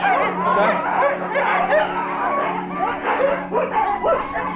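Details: Siberian Husky sled dogs at a mushing kennel near Stonehaven in Scotland's Aberdeenshire yelp, whine and bark together. The pack chorus surges in loud overlapping bursts roughly every second.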